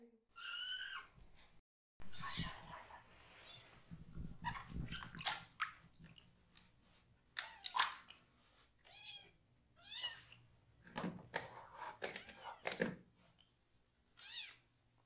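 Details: Rescued kitten, one of three siblings still needing toilet help, crying loudly while its lower body is washed indoors; high, harmonic meows with sharp rising-falling arcs come in repeated bursts, mixed with splashing water and handling noise.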